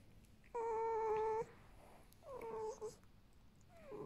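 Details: Vasilisa, a pet female fox saved from a fur farm, whines indoors: one strong, steady, tonal whine lasting about a second, followed by two softer, wavering whines that dip in pitch.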